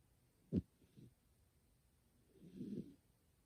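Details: Kuma-tan, a pet cat, sleeps deeply indoors beside someone playing a game, snoring with a human-like "guu guu". One sharp low thump comes early, followed by a soft, low, rasping breath-snore that swells and fades near the end.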